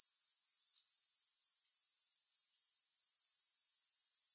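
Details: Steady, piercing insect buzz from grasshoppers, a high thin trill made of rapid, evenly spaced pulses with a faint throbbing rhythm, unbroken throughout and with no music.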